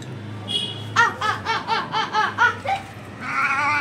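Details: Kittens of a street cat family in India meow for milk near their waiting mother: a steady series of arched, rise-and-fall mews about every quarter second. Then a drawn-out cry, with low room hum and a faint voice.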